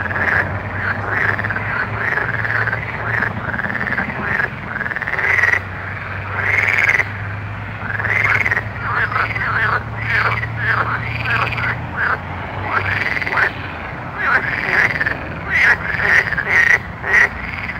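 A night chorus of frogs gives overlapping, rising nasal calls over a steady low hum.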